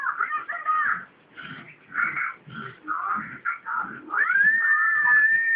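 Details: A corgi playing with water gives a run of short, tonal yelping calls, then one long, drawn-out rising whine.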